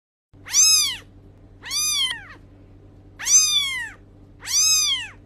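A kitten gives four high, thin meows, each rising then falling, with a faint steady hum behind.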